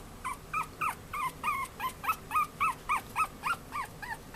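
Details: Male Chihuahua puppy born 14 February 2013, at a pet shop in Yokosuka, Kanagawa, Japan, giving steady high, bent whimpering yips about three to four per second.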